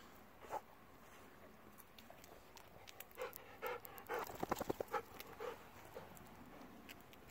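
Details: Two Golden Retriever siblings, a 10-year-old sister and 9-year-old brother, playing at night after a long day of play; rhythmic breathy panting with short huffs, clustering into a quick burst midway, quiet background.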